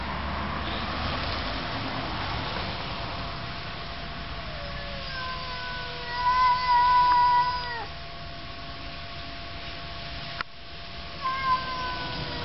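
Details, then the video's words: Cats in a quarrel trading long, tense wailing howls, one rising from a low moan into a held nasal yowl with a waver, then a short renewed cry after a brief break, with steady background hum. "Cats quarrel"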